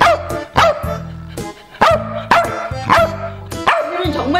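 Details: Welsh Corgi barking persistently despite being told not to, continuing until it gets what it wants. Loud, sharp barks sound in quick succession, about six in four seconds, over background music.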